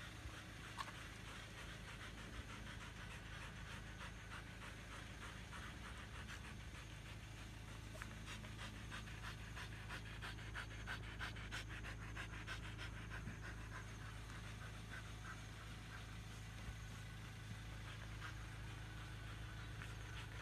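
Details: Siberian Huskies after running exercise in a field, panting hard and fast, about three breaths each second, rough breathy bursts continuing steadily over a low, constant background hum.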